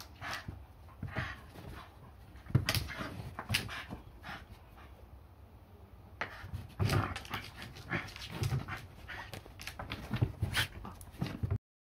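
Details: Shiba Inu dog playing roughly with a new frog toy indoors: bursts of breathy panting and short, low, rough growl-like sounds, mixed with rustling and chewing noises from the toy.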